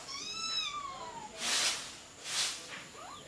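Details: Kittens jostling over their mother's milk: one long, high mew that slides gradually downward in pitch, then two broad breathy rushes and a faint short mew at the end.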